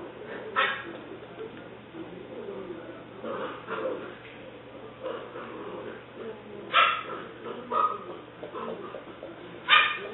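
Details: Seven-week-old female English Springer Spaniel puppy named Alice, black and white tri-color, recorded 5/17/09; short high-pitched yips and little barks come in scattered bursts every second or few seconds over a low steady hum, with faint voices.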